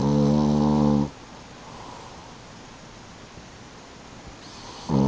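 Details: French bulldog napping on a couch, snoring loudly: a rough, buzzing, low inhaled snore lasting about a second, a quiet pause of steady breath noise, then the next snore starting.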